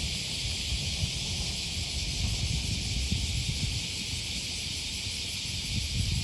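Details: Cicadas heard along the Okawa River near Sakuranomiya Park in Osaka, Japan, one August morning. An even, sizzling drone holds steady the whole time over a rumbling urban backdrop and the crunch of walking.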